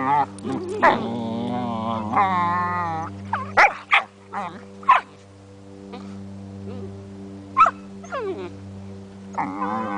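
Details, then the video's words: Play fight between an 8-month-old Border Collie and a 9-week-old Weimaraner: a long, wavering whine-growl early on, followed by scattered sharp yips and short barks amid a constant background hum. "Border Collie and Weimaraner play fight"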